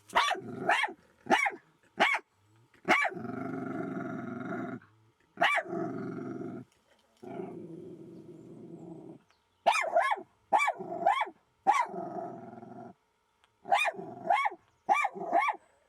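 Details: Jack Russell Terrier facing off against a fox, the clash ending with no scratches: bursts of quick, sharp barks in twos and threes alternate with long, low, rumbling growls lasting one to two seconds each.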